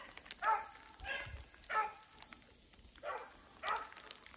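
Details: Further off, beagles trailing a snowshoe hare through wet, snowy woodland give about five spaced, bell-like bays. Sleet and rain patter lightly underneath.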